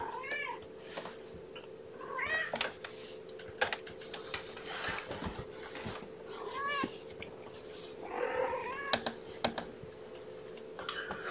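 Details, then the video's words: Guardian Kittens at breakfast, 2018-05-07: five-week-old Infinity Kittens from mama Gamora's litter of five, born April 14th, mewing repeatedly indoors, short arched high cries every second or two, with clatter and rustling between them and a constant hum. "Guardian Kittens - Breakfast"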